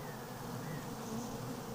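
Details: Honey bees inside a hive at an apiary give a steady, low, droning hum with no breaks, heard as social calls on a warm, humid day of about 20°.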